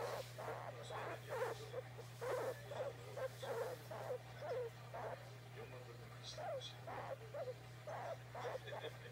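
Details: Oimo-san the guinea pig, wanting to be stroked, utters irregular short, low, throaty calls that cluster at first and then space out, with a faint hum behind them.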